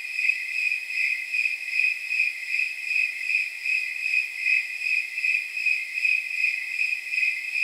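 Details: Snowy tree crickets, called temperature crickets, on a night near 79 degrees: shrill, evenly spaced chirps about 154 per minute, pulsing like jingling bells over a constant high insect drone.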